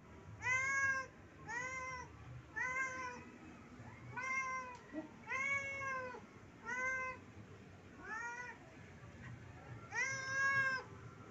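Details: Pet cat begging its owner for food, giving a steady series of eight drawn-out, arching meows, roughly one every one to one and a half seconds, indoors with low background hum.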